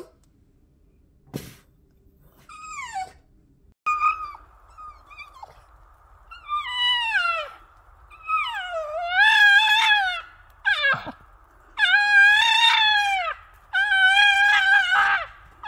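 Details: Pet Boston Terrier in a small indoor room giving a run of yowling howls, each note swooping down then curling up, starting with sparse short cries and building into longer, louder wavering wails about every two seconds.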